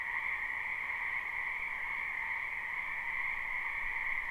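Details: Croaking frogs in a spring wetland, recorded live without loops: a faint but unbroken two-layered trilling chorus, evenly sustained, over a noticeable background hiss.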